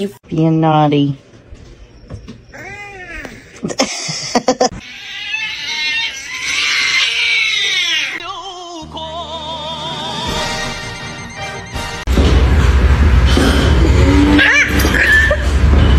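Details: Domestic cats in a funny-cat compilation: several short harmonic meows, some rising then falling, in the first few seconds, overlapped by human speech, followed by music and loud broadband noise through the second half.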